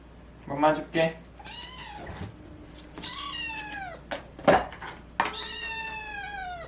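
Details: Cat going through a voice change after recovering from FIP meows several times: drawn, downward-bending cries, one long final meow, interrupted by a few short bursts of human voice and handling sounds.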